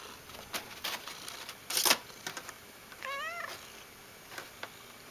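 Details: Pet cat making silly noises indoors: after a sharp clatter, one wavering, warbling trill lasts about half a second, its pitch wobbling up and down, followed by quiet room sounds.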